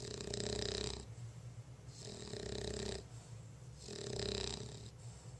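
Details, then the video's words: Lola, a sleepy female bulldog, snoring indoors: three long, rough breathing rumbles, each about a second long and roughly two seconds apart, with a hissy upper edge and a steady low drone beneath. "Lola the bulldog snoring"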